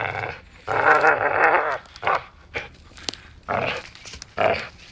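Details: Growling dachshund during biting play, one sustained harmonic growl followed by shorter rasping bursts and a brief snarl.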